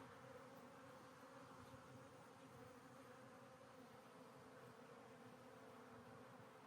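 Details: Honey bees in a hive being re-queened after a hive split, as a new queen is released from her cage: a steady, dense droning hum, unbroken and even in loudness throughout, with no other clear sounds.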